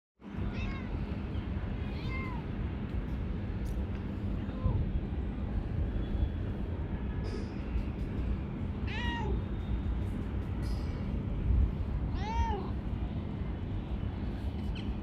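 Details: Talkative, affectionate calico cat, a female living outdoors under a workplace, meowing repeatedly: short rising-falling mews spaced a few seconds apart over a steady low rumble of background noise.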